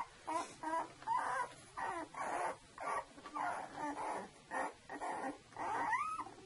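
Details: Two-week-old Saluki puppies from one litter make a rapid string of short nasal whimpers, nearly evenly spaced, ending with a rising squeal.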